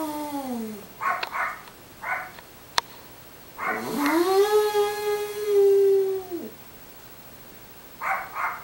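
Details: Small dog named Munchkin at a Long Island boarding facility howling: a sustained harmonic-rich tone rising, holding level, then dropping off after about two and a half seconds, preceded by a falling wail and short yips before and after.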